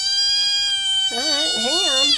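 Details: Pet cat meowing indoors while waiting to be fed, owner asking if it is hungry; a steady high tone, then wavering, rising-and-falling meow notes in the second half.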